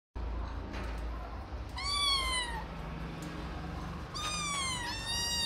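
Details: Ragdoll kittens mewing: two soft, drawn-out meows, each sliding gently downward in pitch, the second longer and wavering, over a steady low room hum.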